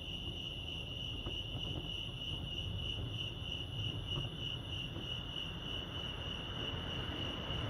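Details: Crickets chirping at Lake Arrowhead, California: a steady, high, continuous trilling pulse holds throughout over a low background rumble.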